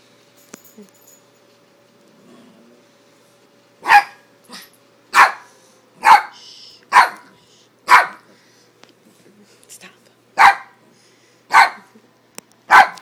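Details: Yorkshire Terriers Neko and Maggie Mae at play, giving sharp high barks repeated roughly once a second, nine or so in a row after a quiet start, with a faint steady hum underneath.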